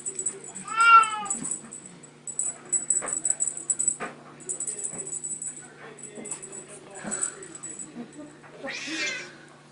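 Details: Young Bengal cats at teaser play indoors: a clear, rising-falling meow near the start and another high, strained meow at the end, with a man talking between them and a steady high hiss.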